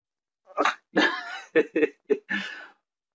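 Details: Dog giving a short series of soft, husky barks and woofs, six brief bursts spread over about two seconds, with quiet pauses between them.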